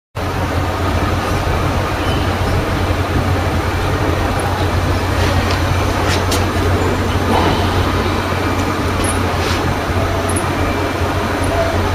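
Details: Only a steady, heavy rumble of vehicle or engine noise is heard, with no animal voice. A low hum runs underneath the whole stretch.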